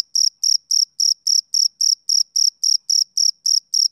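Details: ['Steady shrill chirps from a male cricket, roughly 14 evenly timed pulses in four seconds, each a brief bright trill with a fainter higher ring above it, against complete silence.']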